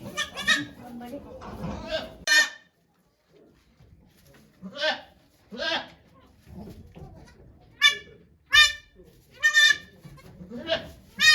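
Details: Goat named Okayu at Yoshigake farm, giving birth to two kids on 3 May 2023 as many volunteers watch; short bright harmonic bleats recur through the second half, after low murmuring voices and rustling at the start.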